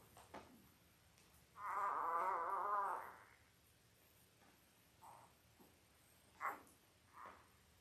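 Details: Five-day-old Labrador Retriever puppies from Belle's litter of eight, born October 15, 2023, indoors: one drawn-out, wavering whine of about a second and a half with stacked harmonics, then a few short faint squeaks.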